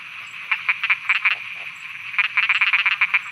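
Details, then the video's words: Night frogs of Thailand give quick bursts of sharp, rapid croaks, a cluster of five, a short pause, then a longer rattling series of about nine, over a constant high-pitched nocturnal chorus. "Thailand Night Frogs Soundscape"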